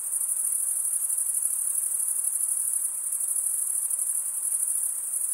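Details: Continuous high, thin cricket trilling from many insects blends into an even, pulsing wall of sound for the whole stretch, with no gaps and nothing else audible.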